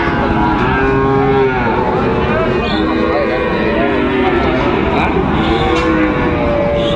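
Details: At Raniganj livestock market in Dinajpur, 29 August 2024, Sahiwal bull calves low repeatedly: drawn-out, slightly wavering moos rise and fall against constant background talk and bustle of the market.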